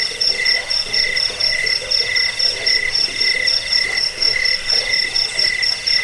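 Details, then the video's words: Cricket chirping in a recording offered to drive away rats, lull listeners to sleep and train songbirds: high, ringing pulses repeated about twice a second, with a second, lower tone alongside, over a steady hiss. "Suara jangkik pengusir tikus pengantar tidur"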